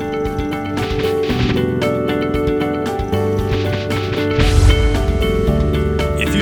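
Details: Continuous music with steady rhythmic tones throughout and no animal sound heard.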